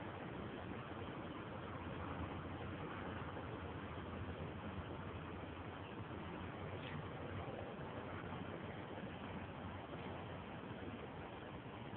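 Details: Steady broadband rumble like an idling engine or vehicle fills the recording, with no animal voice heard.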